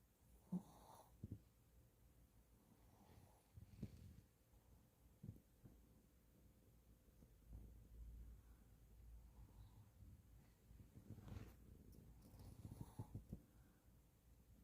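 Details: Shih Tzu dog snoring in its sleep: soft, low rumbling snores in irregular bursts with a quiet background.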